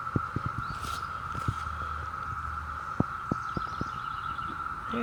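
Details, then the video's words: Ohio chorus of Brood V cicadas, June 2016, with males singing for mates: a constant high-pitched drone runs the whole time beneath faint handling taps, rustling and low background noise. "Cicada song"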